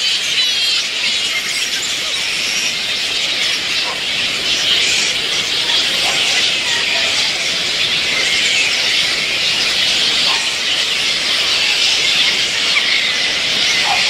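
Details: Little red flying foxes, fruit bats at their day roosting camp at dusk, give a dense, continuous chorus of high, overlapping squeals and chatter. The chorus holds steady throughout, with a few short lower squeaks standing out above the din.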